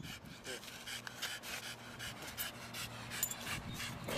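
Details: Staffordshire Bull Terrier, one of the pair Edgeworth Canava Barney and Risky Miss (Roxy), out by the River Thames at Hammersmith in 2001, panting in quick rhythmic breaths about three per second, with people talking nearby and outdoor background noise.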